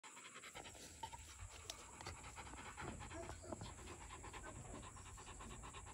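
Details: Two-year-old male Rottweiler panting steadily in quick, breathy rasps, with a short whistle-like tone at the beginning and a constant high electronic whine behind.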